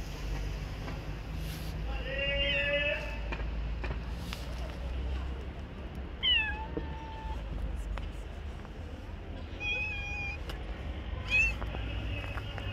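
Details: Street-dwelling stray cats meow in bursts: a wavering drawn-out cry, then sharp descending meows and short clipped calls, set against a constant low urban hum with occasional clicks and a voice in the background.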